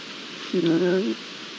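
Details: Iberian lynx, one of a pair filmed behind a camera on 22-09-22, original sound: a single drawn-out, harmonic mew lasting about half a second, level then falling slightly at the end, over a constant hiss.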